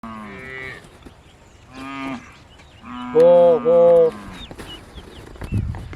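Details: Hallikar cattle herd being taken out to graze in a grazing yard in Harohalli Taluk: a series of deep, harmonic moos, the loudest a long two-part bellow in the middle, with a farmer's voice calling nearby.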